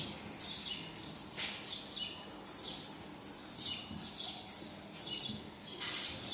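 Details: High, piercing chirps and short squealing cries from a baby marmoset seeking its mum, coming in tight clusters with brief gaps, over faint hiss and a few low thuds.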